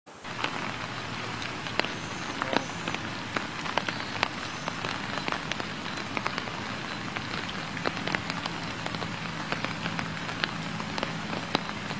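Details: Steady rain patters on leaves and hard surfaces with sharp drip clicks throughout; no animal voice stands out.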